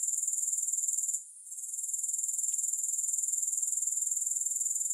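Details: Grasshoppers in a recording without music: a steady, very high-pitched shrill buzz pulsing about four times per second, breaking off briefly near the one-second mark before resuming.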